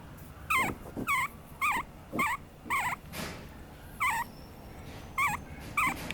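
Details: A Papillon puppy whimpers over and over, close to two cries a second at first, then with longer gaps. Each short, wavering squeal dips at its end, with soft thumps and rustling between cries.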